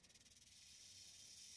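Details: Mohave rattlesnake in Arizona, described as very angry, heard from a distance: a continuous dry, hissing high buzz, pulsing rapidly at first and then steadying into an even rattle.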